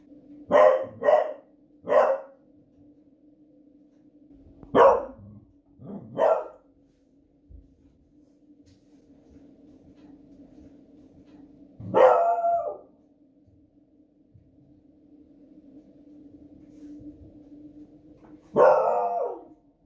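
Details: Smudge the female Beagle raises the alarm at booming fireworks one Friday evening, giving loud, ferocious barks in short bursts of two or three, separated by long pauses, over a constant low background hum.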